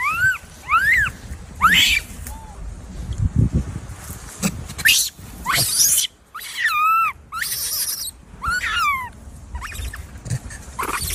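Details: Tiny baby monkey giving high, arched squeals, each rising then falling, in a loose series of about eight calls with short pauses, some wavering, with soft rustling and low thumps between them.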